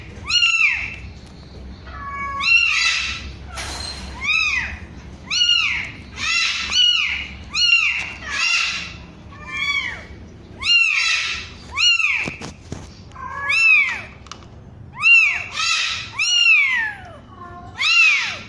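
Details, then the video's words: A kitten only one week old gives a long series of shrill, arching meows, roughly one per second, insistent and evenly paced, over faint background hum. "SUARA KUCING USIA 1 MINGGU"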